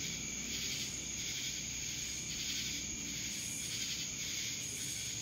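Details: Constant high droning of cicadas in Dallas, Georgia, with rhythmic throbbing buzzes repeating about every half second over a steady piercing tone.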